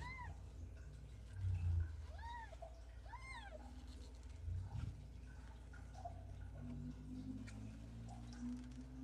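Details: Ragdoll kittens raised indoors without cages at a central Kansas cattery: a run of three arched, clear meows in quick succession, then quieter scattered mews over a constant low background hum.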